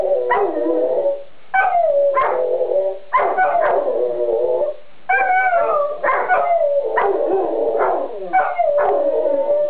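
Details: A pair of dogs howl in chorus, repeated rising yelps that settle into drawn-out wavering notes, each phrase about one to one and a half seconds, with brief quiet gaps between bursts.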